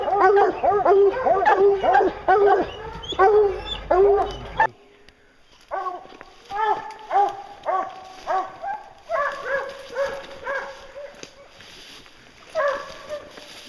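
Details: Hounds on a bear hunt baying loudly, harmonic yelps and bawls repeated in quick bursts, several dogs overlapping before a brief pause, then steadier repeated bays continuing at a distance.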